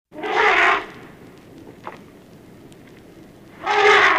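Two harsh, brassy trumpet blasts from an African elephant ring out about three seconds apart, each loud and rich in overtones. The calls come from a mother defending her calf, with quiet outdoor background between them.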